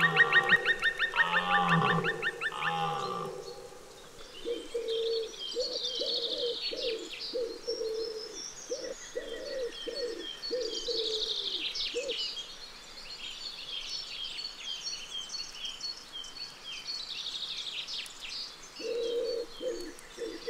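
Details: Red deer belling in the October rut, a deep, rough, drawn-out roar of about three seconds. Afterward come short pulsed calls in the mid range and scattered high chirping.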